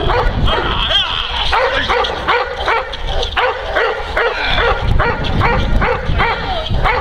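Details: Kuba, a working Neapolitan Mastiff guarding his owner against several agitators, barks heavily and repeatedly at a fast, uneven pace of about three barks per second, with some background voices and scuffling.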